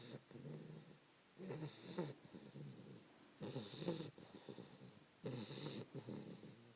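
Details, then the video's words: Fannie, a 3-month-old English Bulldog puppy, snores while snuggled with her owner around 5 AM; rattly, nasal bursts with breathy hiss come roughly every two seconds, separated by quieter pauses. "Fannie snoring"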